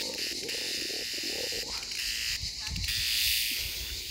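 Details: A cicada's continuous, high-pitched buzzing drone in Pineto, with a person's brief exclamations underneath.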